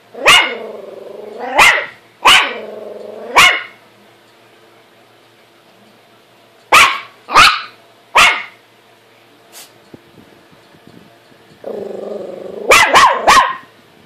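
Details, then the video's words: Buddy the pet dog barking at himself in the mirror, single sharp barks with low whining growls between, a long quiet stretch, then a growl leading into a rapid burst of barks. "My dog buddy barking at himself in the mirror!"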